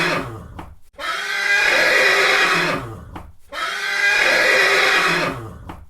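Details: Horse neighing twice, each a loud, shrill, harmonic-rich whinny of about two seconds with a shaky, quavering tone, preceded by a short snort and separated by brief silences; indoor-sounding, no other sounds.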